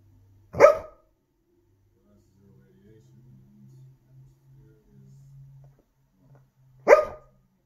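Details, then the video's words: A sleeping dog barks twice, short sharp single woofs roughly six seconds apart, with faint low murmuring between them in an otherwise quiet indoor space. "Jasmine sleeping bark 2"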